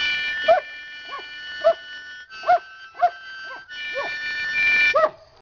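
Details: Fido, a half-mastiff, half-rottweiler, sings to harmonica accompaniment in brief, bright yips spaced roughly half a second apart, each rising sharply then dropping, between bursts of held harmonica chords.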